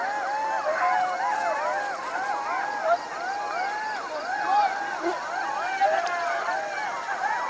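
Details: Jackal. Several jackals howl at once, their high wavering wails sliding up and down and overlapping into a continuous, siren-like chorus. The cries rise and fall every second or so without pause.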